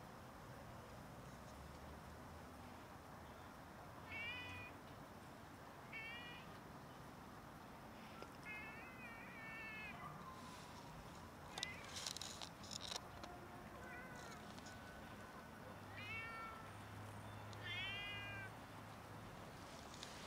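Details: Hungry domestic cats meowing loudly for food until fed; repeated short harmonic meows, often in quick pairs, some falling in pitch, spread across the recording, with a low hum and a brief burst of rattling midway.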